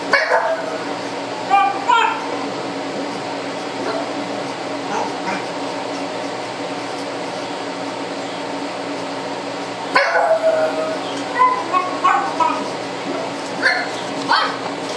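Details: Biscuit, a pet pug, reacts to a disliked next-door neighbour seen through door blinds; bursts of odd gobbling barks at the start and again near the end, with people talking and a kitchen exhaust fan humming throughout.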